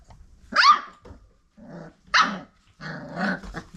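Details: Five-week-old Old Family Red Nose Pit Bull puppies from parents Abby and Ragnar, indoors: three sharp, rasping puppy barks about a second apart, the last blending into a low, rough growl, with quiet gaps between.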